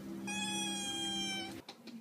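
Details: Domestic cat screaming in a funny compilation: a single level, strained, buzzy cry held for over a second, ending abruptly and followed by faint clatter.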